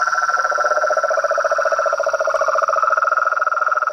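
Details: Frogs and toads trilling in overlap: two rapid pulsing trills, one low and one higher, sound together without pause over a continuous shrill background hum.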